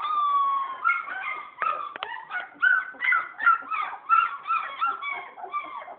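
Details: German Shepherd puppies born 27 December 2010, recorded at about two weeks old, crying in a steady chorus of high whining whimpers, wavering and overlapping, several short squeals each second.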